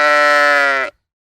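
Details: One drawn-out bleat from a farm sheep, held evenly for almost a second with a buzzy, harmonic-rich tone and a faint tremble before cutting off cleanly, followed by quiet.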